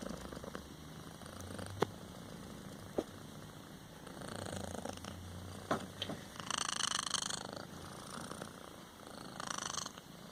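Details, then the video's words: Kitten named Copito, between snoring and purring; soft low rumbling breaths in slow cycles with a few sharp clicks, and a brighter hissing burst midway. "kittien snoring"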